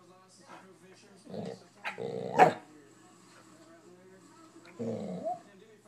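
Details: Rufus, a bored corgi-mix pet dog who whines when ignored, gives three short harmonic bursts, a low growly whine, then a sharper rising one and a later drawn-out whimper, with quiet gaps between.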